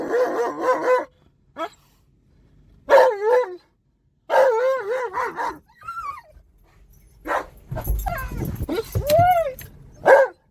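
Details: Excited Alaskan Malamute called Tonka vocalizing in a car while driving around a park: a series of short warbling howls and yips, some rising and falling, with car rumble near the end.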